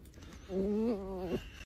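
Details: A red fox (Vulpes vulpes) calls with a drawn-out, tonal whine that rises gently, then drops sharply at the end.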